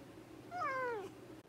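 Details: Indoor pet cat replying to its owner, growing louder and seemingly annoyed after repeated questions: one drawn-out meow that starts high and slides steadily downward for about half a second, in a quiet room.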